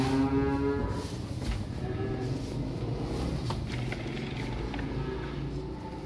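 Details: A calf among young cattle arriving by truck gives one clear, level moo at the opening, followed by quieter lowing against constant engine noise.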